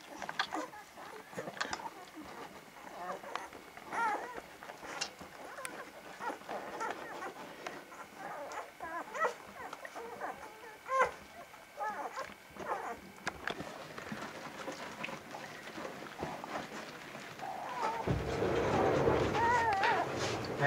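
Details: Young Vizsla pups of Batai on 10 January 2013, giving short, thin whines and squeaks scattered over a busy background of rustling and handling noise, ending in a louder rushing sound with a few squeals on top.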